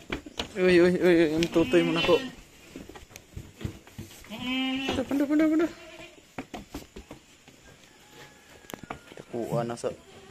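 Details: Goat kids being weaned at Terra Grande Farms, San Carlos City, Negros Occidental, Philippines: two long, wavering, quavering bleats in the first half, then a shorter bleat at the end, with human voices also present.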